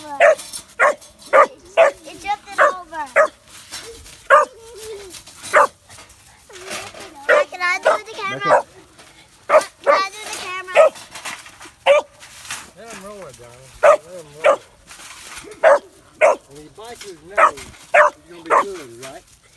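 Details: A three-and-a-half-month-old Kemmer Cur pup at its first caged squirrel barks steadily, about one short clipped bark per second for twenty seconds, with warbling whines and human voices mixed between the barks.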